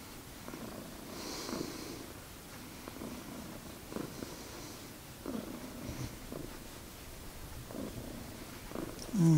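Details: Magic, a domestic cat, purring at home in a low, even rumble with soft rhythmic pulses, breaths marked by faint rising and falling swells, ending in a brief louder scrape.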